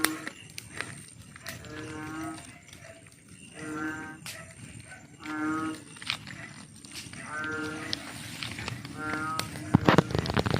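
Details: Night chorus of frogs giving deep, droning, cow-like moans in a steady series roughly once a second, with scattered sharp clicks and a soft background hum.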